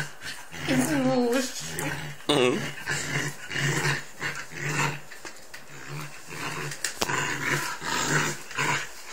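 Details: Three-month-old Bernese Mountain Dog puppy at play: an early wavering, rising-and-falling whine, then rough grumbling growls amid scuffling and clicks, with a human voice and a steady low hum in the background.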